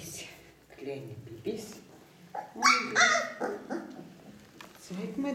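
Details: Four-week-old Ca de Bou puppies from parents Bea and Bubu give short, high, rising whines near the middle, overlaid by a woman speaking German in a warm, cooing voice, with faint music in the background.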